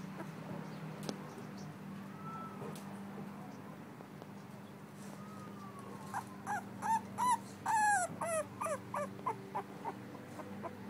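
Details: Pearl, a two-week-old female blue-nosed American Pit Bull Terrier puppy, starts with faint sounds over a low hum, then breaks into a burst of rapid high squeaky whimpers in the second half.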